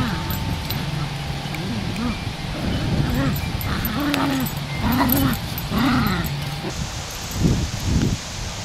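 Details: Dogs during an attack by a pit bull on a small Chihuahua: repeated arched, whining yelps, about one per second in the middle section, over low rumbling noise and human speech.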